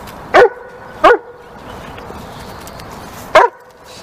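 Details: Dog barking loud: three sharp, clipped barks, two close together about a second apart, then a pause of two seconds before a third, over quiet background hiss.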